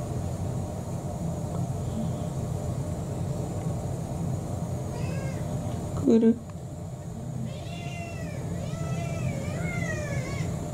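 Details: Kurumi, a roughly four-year-old orange tabby cat, begging for dinner at home: a faint meow, then a loud bump, then several thin arched meows in the last few seconds over steady low background hum.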